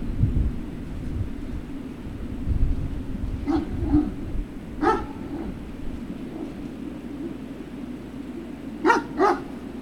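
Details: Great Dane puppies at Puppy Hill, recorded 3 June 2019 in the afternoon, giving short harmonic barks: a pair near three and a half seconds, one near five, then a quick double bark near nine, over a steady low hum.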